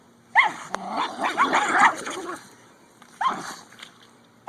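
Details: Dog playing tug of war: sharp harmonic barks at the start, then throaty growling and yips through the middle, another bark burst near the end, with faint background noise.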